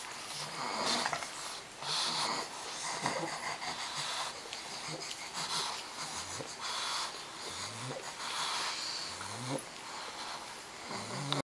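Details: Twenty-day-old pug puppies at play, wheezing and snorting with short nasal grunts that slide upward, repeated every second or two over a steady hiss.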